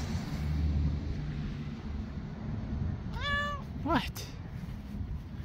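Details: Onyx, a domestic cat, half puffed and anxious in a carrier outdoors, meows as if trying to get out while a truck approaches. Two short drawn-out meows come near the end over a low traffic rumble, with a person talking.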